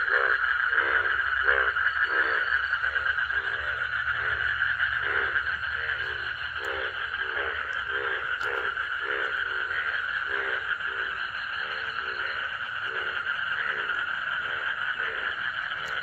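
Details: At midnight in a village, frogs at a pond refilled by rain after drying out over winter croak in a steady chorus, short pulsed notes about twice a second, amid otherwise silent surroundings.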